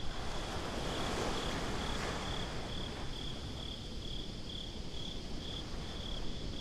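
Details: Crickets chirping at night on a beach, a steady high pulsed trill of about two chirps per second, heard over a constant low roar of surf and wind.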